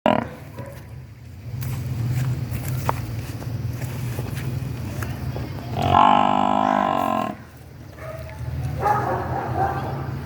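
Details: Mother water buffalo calling for her missing newborn calf. She gives one loud, drawn-out, harmonic moan lasting over a second midway through, followed by fainter lowing. A steady low droning hum runs underneath.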